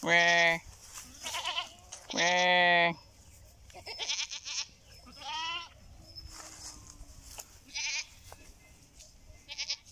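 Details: Goat bleating: two loud, long, nasal and richly layered bleats at the start and around two seconds, followed by several shorter, higher, wavering bleats spaced irregularly through the rest, over a faint background hiss.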